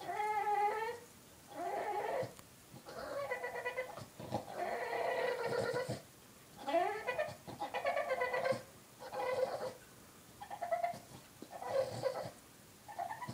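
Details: A 3-year-old Boston Terrier cries in drawn-out, wavering whines, each a second or two long with short pauses between, because his 1-year-old Boston Terrier sister took his bone.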